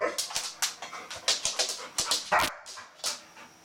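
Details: Pet Golden Retriever, female, eager to play with a bristlenose catfish, giving quick high-pitched yips and squeals, about four per second, with a sharp louder cry near the end.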